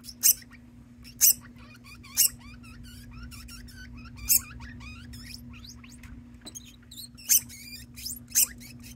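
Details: A pet degu keeps calling persistently indoors while a companion degu joins in as if harmonising. Many quick rising squeaks alternate with loud sharp high chirps about once a second, over a constant low electrical hum.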